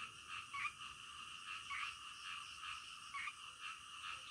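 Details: Faint nocturnal chorus of frogs, an even, reedy hum with brief brighter croaks spaced about a second apart.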